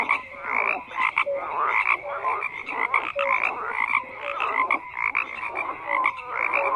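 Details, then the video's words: Dense chorus of croaking frogs: grating pulsed calls repeating in quick bursts with brief higher piping notes, many individuals overlapping continuously. "FROGS CROAKING"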